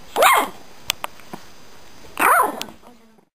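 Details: A Shih Tzu puppy in her bed barking along to a song playing on TV gives two high, yappy barks about two seconds apart.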